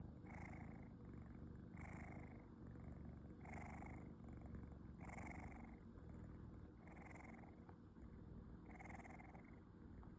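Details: Lizzy, a female rescued kitten, napping with her mouth hanging open, giving small snores: soft, breathy wheezes repeated about every one and a half to two seconds over a steady low rumble, quiet and close.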